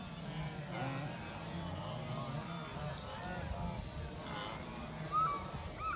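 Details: Wildebeest herd during the migration in Kenya: many overlapping nasal, honking grunts at once, a steady murmur of calls over low rumbling background noise, with one sharper higher call near the end.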